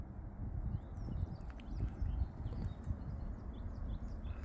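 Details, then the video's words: Wild boar heard very close on a wooded hill behind a countryside village on a weekend morning on 12 April, a mother with two piglets: low, rough grunts and snorts in irregular bursts, faint birdsong above. "산돼지 소리 들리죠?"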